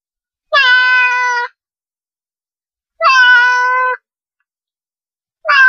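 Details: Cat meows meant to draw cats near: two full, even-pitched meows of about a second each, about 2.5 seconds apart, with the start of a third cut off at the end; no other sounds.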